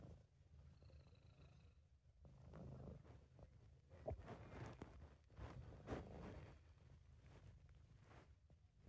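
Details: Sabu, a British Shorthair cat, purring contentedly in a home recording; steady low rumble pulsing with each breath, interrupted by brief clicks and small rustling sounds.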